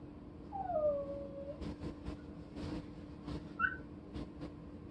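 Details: A chow-chow-like brindle puppy gives a thin, falling whine-howl, then a brief higher yelp amid soft clicks, during a visit with its mother dog.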